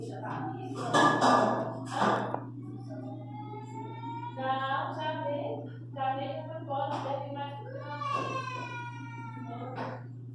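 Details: Domestic cat, the "panda cat", disturbed while sleeping indoors: a series of drawn-out, harmonic meows, some rising then falling, repeated over ten seconds, with human voices early on and a steady low electrical hum throughout.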